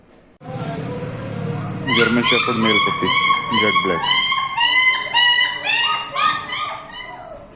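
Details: Puppies for sale in India, 7 Dec 20: after a low human voice, a run of high, harmonic yips and squeals repeats nearly twice a second, overlapping one another, with speech continuing faintly underneath.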